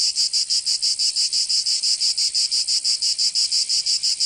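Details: Provençal cicadas in summer, southern France, producing a shrill, pulsing drone with evenly spaced throbs about three each second, loud and unbroken, no birds or people heard.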